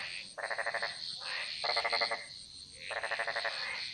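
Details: A chorus of frogs singing in the jungles of Bali: three rapid rattling croak bursts of roughly half a second each, separated by pauses, with continuous high insect buzzing behind.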